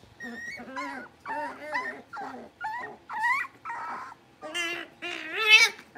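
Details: Blenheim Cavalier King Charles Spaniel puppies from a litter of five, born at New Year, in their home puppy pen: a run of about nine high whining whimpers and yips in six seconds, each wavering up and down, with no other sounds.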